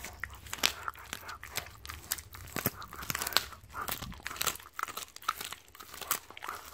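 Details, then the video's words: Siberian Husky eating raw meat and chicken bones given as a reward: dense, irregular crunches and sharp cracking bites follow one another rapidly, with wet chewing between them in a small, quiet room. "Husky Causes HUGE Crunching Sound Noises!"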